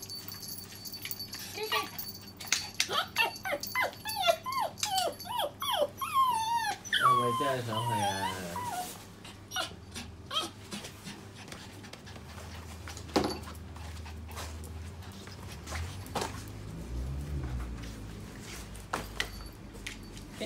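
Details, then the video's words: Poodle eager and excited before heading out. It makes wavering, high whines and squeaky yelps that bend up and down for several seconds. Then comes a quieter stretch with a low rumble, while people talk in the room. "My Poodle B女 準備出街街勁興奮"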